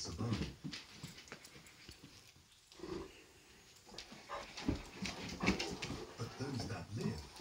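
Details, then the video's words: Great Danes in wild play: gruff short barks and growling bursts come in irregular clusters, with scuffling, thumping noise and a brief quieter lull midway. "Great Danes crazy play"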